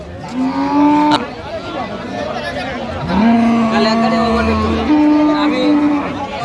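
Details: Improved-breed dairy cows with calves at Ambari market, Dinajpur, Bangladesh, 16/11/25. Three separate moos follow one another: a short opening one, then a longer level call and a final steady one, amid market chatter.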